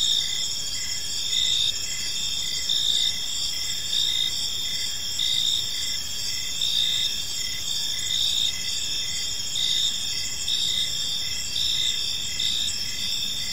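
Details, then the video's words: Evening park chorus of crickets, several insects at once: continuous high-pitched trills with a clearer pulsed chirp repeating under once per second, set against a soft low hum of distant environmental noise. "Cricket Sounds in a Peaceful Park"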